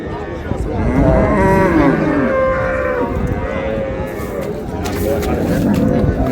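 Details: Dairy cows and calves of improved breed at Raniganj cattle market, Dinajpur, several lowing in overlapping, drawn-out moos with wavering pitch, over constant crowd murmur and market bustle.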